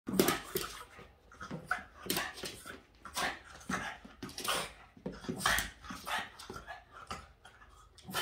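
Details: Boston Terrier named Yoda, upset at the window cleaner, gives a rapid run of harsh, broadband barks and yelps with a few whiny, tonal notes, bursts coming about every half second with brief gaps between.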